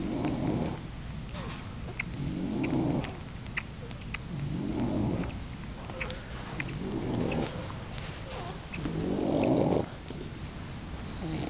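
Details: English Bulldog mother nursing her puppies: soft, breathy snuffling surges rise and fade roughly every two to three seconds, low and rough in tone, with faint small clicks and squeaks between them.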